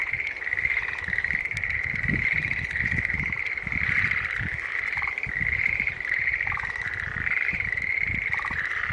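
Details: Green tree frogs in full chorus, a nearly unbroken stream of buzzy, pulsed calls at one pitch, with scattered lower rattles and a soft rumbling background.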